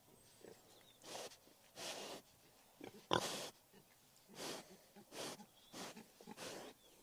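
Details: Harsh, breathy grunts and snorts of a wild boar, each about a third of a second long, spaced irregularly, with one sharp loud snort near the middle.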